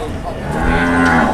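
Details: A cow lowing at a crowded Indonesian cattle market in Muntilan: a steady, level moo swelling over the last half second, with murmuring people behind it.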